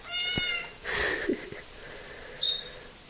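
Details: A small, talkative female house cat meows indoors: a short harmonic mew opens, followed by a brighter, louder cry near the one-second mark and a faint high squeak later.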